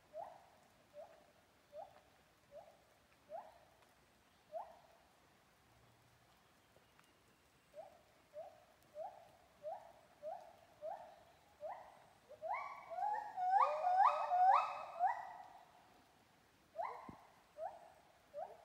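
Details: Monkey singing in Kaeng Krachan National Park: short rising hooting notes repeated roughly every second, building into a louder, faster, higher climax of overlapping notes, then easing back to the steady series.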